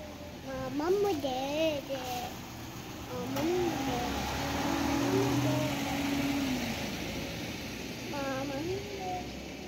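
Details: Domestic cats fighting, with drawn-out wavering yowls that rise and fall in several bouts over about ten seconds, a low steady hum underneath.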